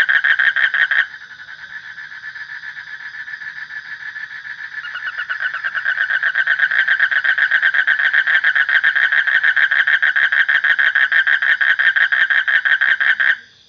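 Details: Frog producing a long, rapid rattling pulse train, softer at first and then swelling to a loud steady level before stopping abruptly near the end.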